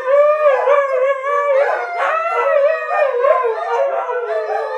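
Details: Dogs in a howling choir with Kiska among them: steady, tremulous howls with bright harmonics, a sharper rising voice breaking in midway, the chorus holding loud and continuous throughout.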